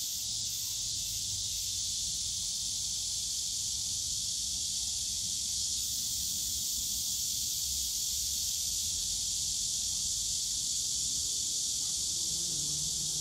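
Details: Summer cicada chorus in Yongsan Family Park's bamboo forest, a steady, shrill buzzing wall of sound that holds level throughout, with a soft low rumble of park noise underneath.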